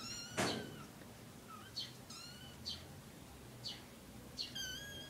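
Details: Three kittens with their mother cat. High, thin kitten mews with stacked bright overtones: one loud cry near the start, then two softer wavering mews. Short high ticking chirps and a brief knock sound between them.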